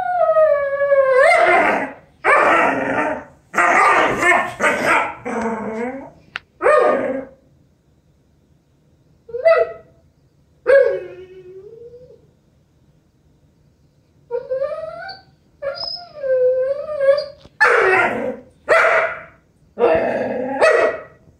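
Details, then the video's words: Sookie, a female Vizsla kept as a family dog, whining in bursts: long, high, tonal whines and howl-like cries with bending pitch, mixed with rougher yelping outbursts and separated by short silences. "Crazy Sookie the Vizsla, Funny dog, dog whining"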